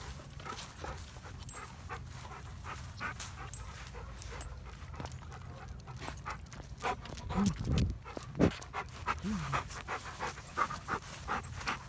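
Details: Black dog, a former stray taken in after showing up starving in December, panting in quick rhythmic breaths outdoors, with a few short whines near the end and a person calling to him.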